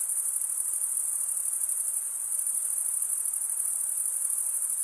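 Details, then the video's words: Male crickets stridulating, rubbing one wing's edge over the toothed vein of the other, make a continuous, very high shimmering trill that pulses rapidly without pause throughout. "Most relaxing cricket sound for 8 hours"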